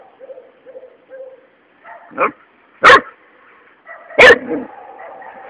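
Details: Three-month-old Labrador puppy Luna barking while at play with a toad. After a few soft murmurs, three abrupt barks follow at uneven gaps of under a second and over a second, and the last is the strongest.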